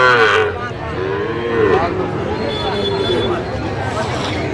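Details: Sahiwal bull calves at a cattle market in Barisal, Bangladesh, with a drawn-out harmonic moo near the start and another lower bellow around two seconds, over steady crowd chatter and people talking.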